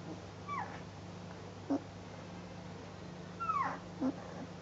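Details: Northern Inuit Dog puppies, ten days old, wobbling as they learn to walk at Honiahaka, give two thin, high whimpers that slide downward, each followed by a brief low squeak, against a constant background hum.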